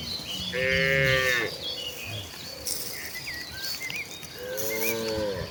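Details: Village cattle in a herd heading to the rice fields to find grass, giving two moderate moos a few seconds apart, one bending upward at the end, over steady rural background noise and faint chirping birds.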